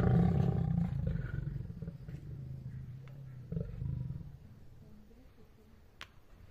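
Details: Lions in a zoo in Shiraz, Iran, roaring and snarling during a fight, deep rumbling bursts that fade after a few seconds.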